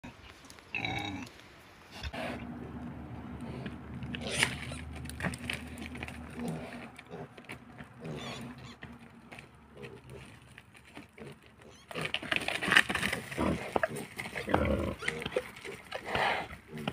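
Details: Wild boar. A wild boar makes coarse, snuffling grunts and snorts that come in uneven bursts, loudest toward the end. A low steady hum runs under the first half, and people can be heard talking.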